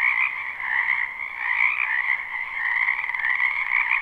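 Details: Frogs in a spring wetland behind a home call all at once in this live, unlooped recording, producing a dense, even, rattling chorus that rises and falls gently.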